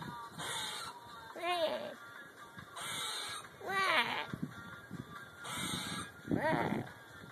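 A squirrel gives nasal, arching barks about every two and a half seconds, with soft rustling between.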